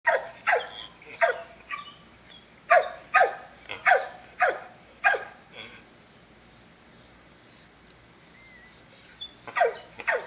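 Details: Dog barking in a quick uneven run of about a dozen sharp, rough barks over five seconds, a pause with faint background noise, then a fresh burst of several more barks.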